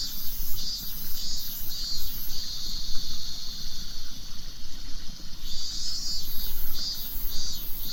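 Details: A Japanese cicada chorus, heard as MIIIIINMINMINMIN and tied to summer, holds a continuous high hiss. A brighter shrill layer above it beats in regular rapid pulses, over a constant low-frequency rumble.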